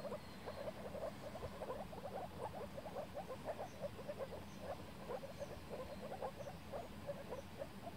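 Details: A chorus of moor frogs (Rana arvalis) at a spring breeding gathering in a flooded forest pool in Warmia, Poland, 2017, gives soft, low, bubbling overlapping 'wooop' mating calls.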